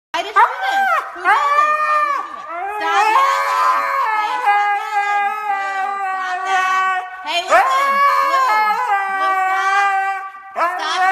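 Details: A husky "explaining" a chewed-up remote whines indoors in drawn-out, wavering, harmonic howls. Some rise and bend, others dip sharply, with short pauses between bursts and no other clear sounds.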